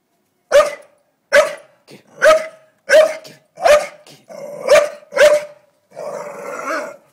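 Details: Barking at a blue-tongued lizard, Staffordshire Bull Terrier Doza gives seven forceful barks under a second apart. Some run into throaty growls, and a drawn-out rumbling growl ends the sequence.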